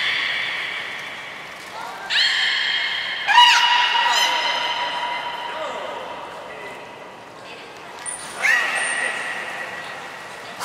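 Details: Belugas Nana and Niko in training at Port of Nagoya Public Aquarium, recorded 7 October 2018: several sustained, bright harmonic calls with swooping onsets, overlapping at times, plus a short high whistle tone later.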